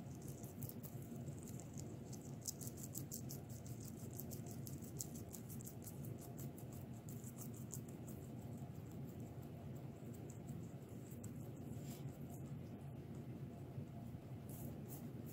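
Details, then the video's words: Several guinea pigs crush vegetables, giving a continuous patter of sharp crunchy bites and crackles with occasional louder snaps, above a constant low background hum. "Guinea Pigs Crushing Vegetables"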